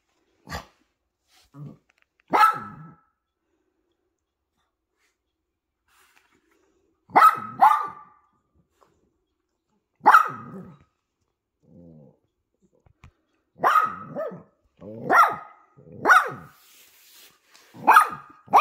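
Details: Poodle in a family setting with a mother dog and puppies, barking in irregular bursts: roughly a dozen short, sharp barks over eighteen seconds, some in quick pairs, with quiet gaps and faint soft noises between.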